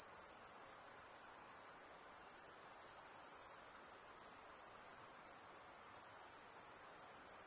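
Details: Steady, piercing insect song, an unbroken high trill with a soft rhythmic throb, alone against a quiet background.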